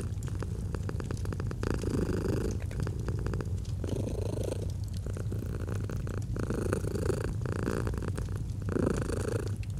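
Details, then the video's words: Domestic cat purring softly next to a fire, cozy autumn mood; a deep continuous vibrating purr with breath-paced swells, accompanied by clusters of quick crackling snaps from the fireplace. "Purring of a Cat"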